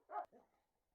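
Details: Dog in an outdoor enclosure giving a single short, sharp bark, followed by a softer, lower trailing sound, then quiet.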